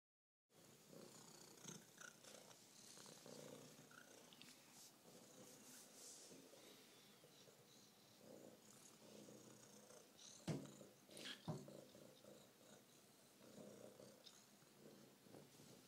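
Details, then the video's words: A female F1 Savannah cat at a vet visit, head-butting the table, purrs steadily like mad, a low rumbling throb with a couple of sharp knocks. "F1 Savannah Cat, overly friendly vet visit"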